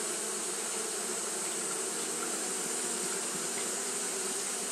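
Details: A brief stretch of Japanese honey bees fanning on a hot day, heard as a constant low buzzing drone under a level, bright high-pitched hiss.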